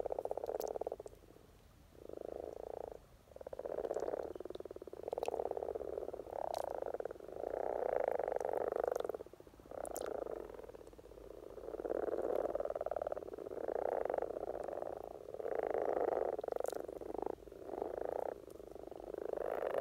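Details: Norwegian spring breeding gathering of Rana temporaria, the common frog: steady low croaking chorus made of rapid purring pulses, near four per second, grouped into bursts lasting one to two seconds.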